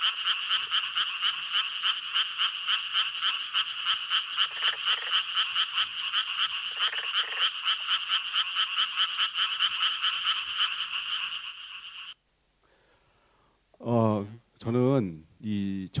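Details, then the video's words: In Korea, a chorus of Japanese treefrogs gives rapid, raspy, beeping croaks repeated over and over; this croaking is heard almost everywhere in spring. A man speaks afterwards. "First, here’s what Japanese treefrogs sound like."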